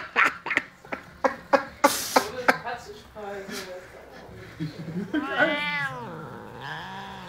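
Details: Angry house cat Max, provoked by a waving hand, is heard amid a run of sharp tapping knocks before a rising-falling moaning yowl and a lower trailing growl, with faint speech in the room.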